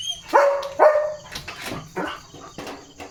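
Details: Leo the German Shepherd barks while being coaxed with a biscuit during command practice; two strong tonal barks open the run, followed by several fainter, breathier barks spaced roughly every half second.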